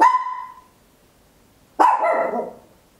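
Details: Small Papillon dog barking very loudly at home, captured in stereo on an Olympus LS-11: two sharp, high-pitched barks about 1.8 seconds apart, each with a fast attack and short ringing tail, over a quiet background.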